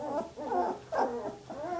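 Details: Eighteen-day-old Samoyed puppy from Athena's litter at Arctic Diamond Samoyeds, making soft wavering moaning whimpers indoors, several short rising-and-falling cries run together over two seconds.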